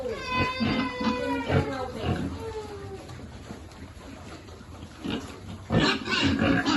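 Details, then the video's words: Piglet at a pig farm being fed: a few drawn-out, harmonic squeals that slide downward come first, then rough grunts at a quick, uneven pace, while a person speaks in the background. "Feeding lovely piglet"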